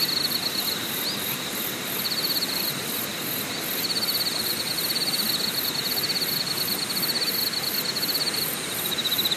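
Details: At Deokyudae Camping Site, Deogyusan Mountain in Korea, insects keep up a thin high trill of quick pulses, fading and returning, with fainter higher pulsing above and a constant hiss of ambient noise.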